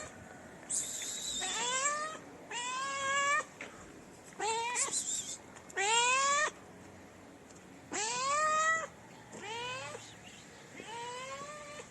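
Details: Stray cats in a city in Morocco, approaching each other for mating: a run of about seven loud rising meows, each roughly half a second to a second long, with short gaps between them.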